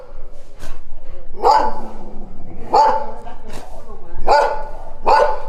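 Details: Dog giving four loud, rough barks spaced one to two seconds apart, with sharp clicks or knocks between them.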